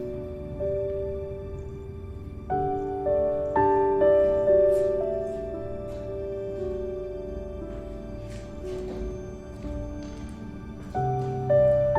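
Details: Soft, tender instrumental music with sustained chords and gentle swells plays throughout, and no animal sound is heard.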